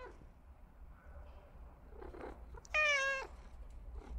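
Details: Domestic cat giving a single short, loud meow lasting about half a second, a steady, harmonically rich tone, after a quiet stretch of faint room noise and soft rustles.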